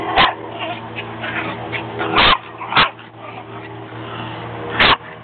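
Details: Chihuahua wanting another dog's squeaky toy; a few sharp, bright barks spaced irregularly over several seconds, over a steady background hum and faint rustling.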